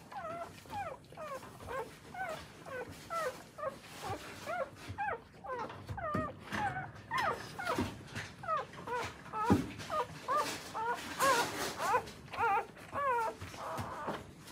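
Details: Newborn Akita puppies being raised by their mother in Akita, Japan, whimper in a fast irregular series of short rising-falling squeals, about two per second, with a few rougher, louder cries near the end, indoors.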